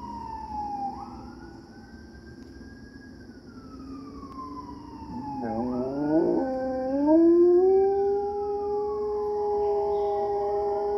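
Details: A German Shepherd howls along to police and fire sirens in long, wavering, rising notes.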